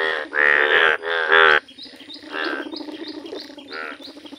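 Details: ['Yellow Indian bullfrogs in a village. Three loud, bleating, buzzy croaks open the clip in quick succession, followed by softer croaks from frogs further off, with faint high chirps above.']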